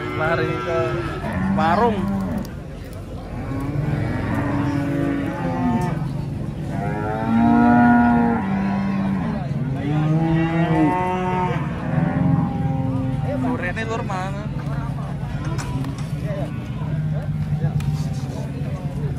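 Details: Cattle coming down from a truck, giving repeated long harmonic moos, some rising and falling, over low rumbling engine noise, with several animals calling in overlap and brief human voices.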